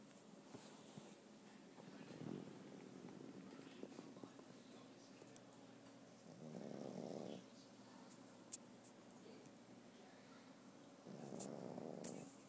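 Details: Goski, a sleeping pet dog, snoring softly indoors: two drawn-out, low rasping breaths a few seconds apart, quiet room otherwise.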